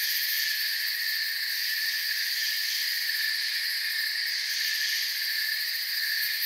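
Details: Continuous high trilling of crickets in forest ambience, several overlapping pitches blending into a smooth, even drone that never breaks.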